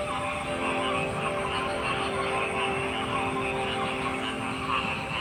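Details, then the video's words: Continuous croaking from a crowd of frogs, a dense trilling mass of calls with steady low tonal hums in the background. "Frog Sounds"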